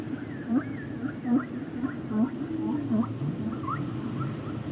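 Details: Humpback whale singing short swooping units, each a quick rise and fall, repeated roughly every three-quarters of a second with faint higher overtones above a rumbling background.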